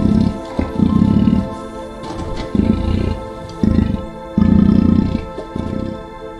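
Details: Lion roaring in deep, rough bursts of about half a second to a second, several in quick succession, over a steady bed of soft ambient music.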